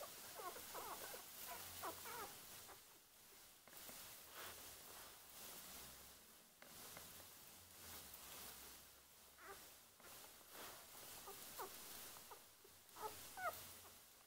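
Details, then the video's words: One-day-old Border Collie puppies, newborn litter, giving thin high squeaks and whimpers in irregular bursts over low background rumble and rustling. "Border Collie puppies one day old"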